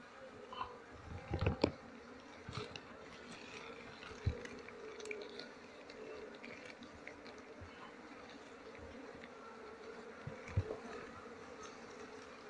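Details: Honey bees in a beekeeper's colony during honey harvest season, when durian flowers bloom; a steady droning hum holds through the clip, broken by sharp knocks and handling clatter around two and four seconds and again near ten seconds.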